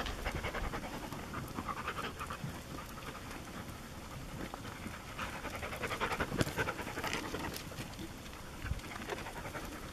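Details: Working Border Collie panting while minding the gate as sheep receive treatments before coming in for lambing; steady rapid breathy panting, roughly three to four breaths a second, with faint outdoor background noise.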